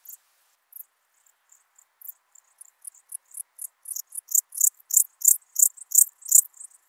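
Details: Song of an alpine dark bush-cricket in Berchtesgaden, Germany, 6 September 2018, taken through an ultrasound detector; sparse, faint high chirps at first, then a steady run of rapid, sharp chirps that swells in loudness.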